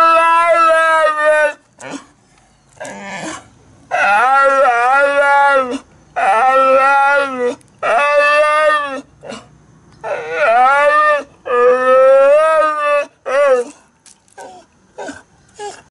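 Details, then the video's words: Old pet dog that has barked like a human talking since it was a puppy: long drawn-out howling, talking-like vocal phrases with wavering, rich harmonic tones, several phrases of one to two seconds separated by short pauses, some brief yips in between. "My old dog has barked like a human talking since puppy dog !"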